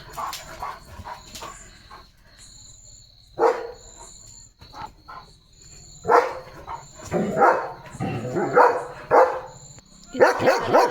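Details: German Shepherd Leo on night guard duty in a home courtyard, barking fiercely: scattered single barks, then a burst of several rapid barks near the end, with a steady high thin tone in the background.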